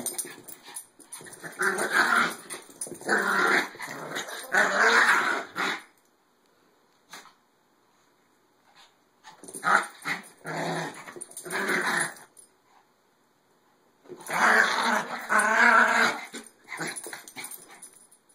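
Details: Maltese dogs play fighting indoors, with bursts of rough growling and snarling lasting a few seconds each, separated by quiet pauses, three bouts in all.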